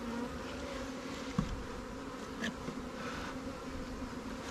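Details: Swarm-captured honey bee colony in a new Langstroth or Warre hive, supplied with resources from stronger colonies; continuous low, even buzz of massed bees with a single short click near the start.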